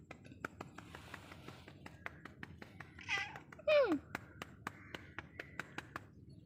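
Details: A friendly Ragdoll cat following a person gives a short, falling meow over a steady run of soft tapping clicks.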